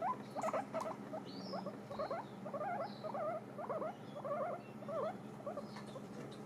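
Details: Several pet guinea pigs munching dried apple pieces: quick, uneven chewing and nibbling noises, roughly two per second, with faint squeaky rustles and a steady background hum.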